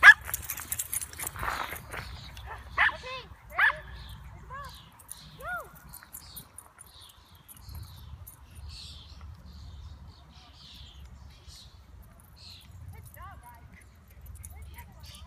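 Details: Two dogs, Riley and the neighbour dog Ozzie, meeting at a park and squabbling over who is alpha; a run of sharp, high, arching yelps near the start and a few more later, with rustling and faint voices.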